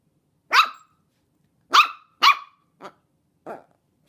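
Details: 10½-week-old Chihuahua and long-haired Dachshund mix puppies give sharp, high yapping barks in an uneven series.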